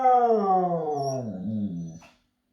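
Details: A 7-month-old husky cross (pomsky) gives a drawn-out, slowly falling howl, copying another dog, while the owner encourages it to howl.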